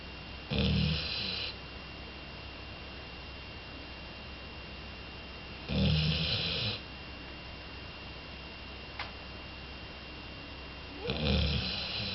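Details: Big snoring from Jolly, a two-year-old female Labrador Retriever fast asleep: three rattling, grunting snores come roughly every five seconds, each about a second long, with one small click between them in an otherwise quiet room.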